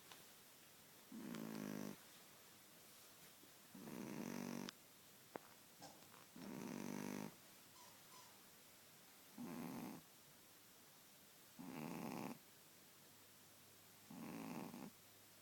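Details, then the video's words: A pet Shih Tzu dog snoring indoors in a quiet room: long rasping breaths roughly every two to three seconds, six snores with silent gaps between them. "Shih Tzu snoring"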